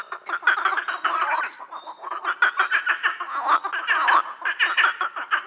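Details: Rasping frog croaks pulse almost without a break, many calls overlapping into a steady chorus that swells and dips in loudness every half second or so.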